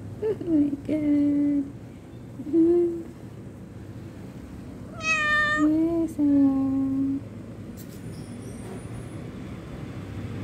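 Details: Domestic cat giving a series of short meows, some rising then falling, others flat and clipped, with a longer strained meow near the middle, over steady background hum and faint speech.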